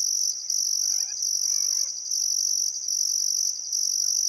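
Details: Outback Queensland crickets at a summer sunset on the Barcoo River, Welford National Park: steady high-pitched chirping in pulsed bursts, with a soft warbling bird call rising and falling in the background.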